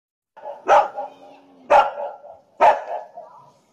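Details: Golden Retriever with tigers, giving three loud barks about one second apart, each with a short tail, over a faint steady hum.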